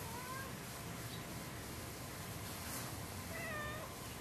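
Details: Lucy, a loud, hyper 10-year-old orange cat who keeps pestering Sam the cat, recorded outdoors on 9-26-11; two faint, drawn-out meows rise and fall, the second higher, over steady background hiss.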